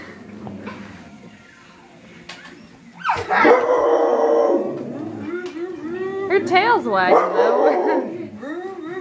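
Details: Dog named Xena, a female pet indoors, reacting to a vacuum cleaner she is scared of: a drawn-out wavering howl that rises into repeated yelping whines, with people talking over it.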